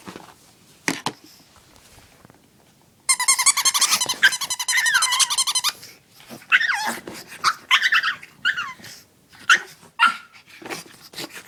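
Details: Pet dog Oscar, eager to play with his favorite chew toy, indoors: after quiet taps, a long loud stretch of strained high whining with pulsing harmonics, followed by shorter sliding whimpers and yelps separated by clicks and bumps.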